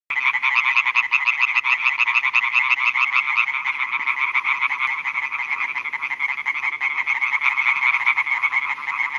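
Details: Male European tree frogs calling at night in a chorus from newly built ponds on a meadow in Schleswig-Holstein, Germany, to attract females; dense, fast, rasping pulses overlap into a continuous bright chatter throughout.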